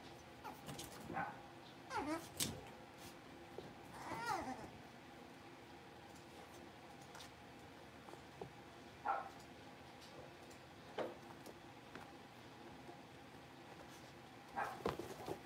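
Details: Five blenheim Cavalier King Charles Spaniel puppies, born on New Year's, settling into a bigger indoor pen. Short high whines and yips rise and fall in scattered bursts, strongest near two, four and nine seconds, over a quiet room hum.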